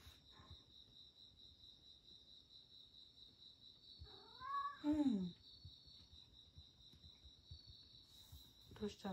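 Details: Late at night in a Shiga home, male rescue cat Satchan cries out after scratching at the glass door: one loud falling, wavering meow midway, then quiet with a steady cricket drone and a brief human voice.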